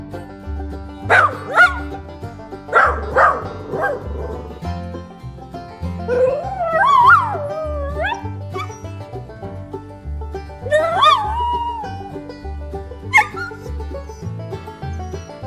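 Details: Labrador Retriever giving a few short, high barks followed by long, wavering whines that rise and fall, with music playing underneath the whole time.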